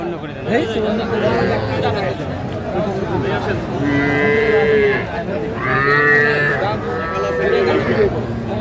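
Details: Calves at a Faridpur cattle market, Bangladesh, on 8 February, small bulls and heifers being traded: three long, level moos, each about a second, spaced roughly two seconds apart, with market chatter behind.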